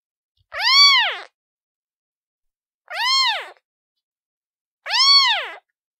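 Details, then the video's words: Repeated kitten meows from a domestic cat: three loud, tonal, arched cries roughly two seconds apart, each swooping up and down, with quiet pauses between and no other sounds. "Suara Anak Kucing"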